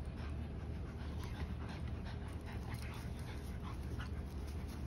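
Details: Rex, a 110 lb German Shepherd, worn out from playing and running with Mya, a 50 lb Belgian Malinois; quick rhythmic panting breaths, several each second, over a steady low rumble.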